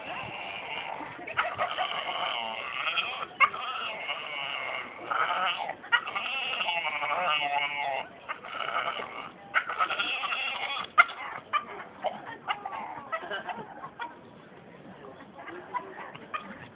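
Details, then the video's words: Dog in a city centre street in Gloucester, having swallowed a squeaky toy, waiting outside a shop; recorded on a phone. Long run of high, wheezy, squeaky whines and bleat-like cries, continuous and wavering, broken by short gaps, with people talking and laughing nearby. "Dog ate squeeky toy"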